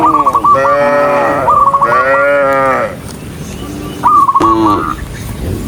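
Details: Dozens of cows running along a countryside road, giving two long, rich, deep moos one after another, then a short fainter moo and a brief loud one, with quick high whistled notes at each call's start.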